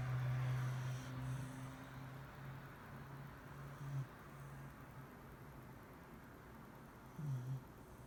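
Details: Shiba Inu Mari-chan snores in her sleep, long low humming breaths drawn out over several seconds, then a shorter rasping one near the end, with faint room noise underneath.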